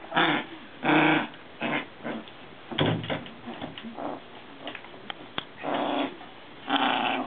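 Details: Maltese dogs, three sisters from a parent-and-pup family, playing together with a frog toy. Rough, breathy growling bursts come about once a second between quieter scuffling sounds.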